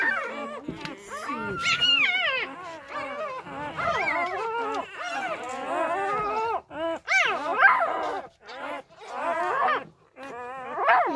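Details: Several newborn Labrador puppies, deserted by their first-time mother and fed fresh milk by hand, keep up a dense chorus of rising and falling whines and squeals, nearly continuous, with a few sharp higher cries near the end.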